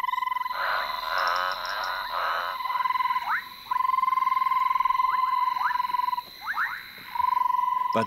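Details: A male banded rubber frog calls impatiently from a hollow in the ground that amplifies the sound, giving long, steady, high-pitched trills; a silent female follows the call toward him.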